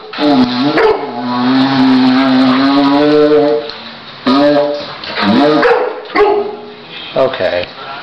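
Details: Ten-month-old Newfoundland puppy reacting to a didgeridoo being played; long sustained tones alternate with short wavering, bending howls in several bursts, with brief pauses between them.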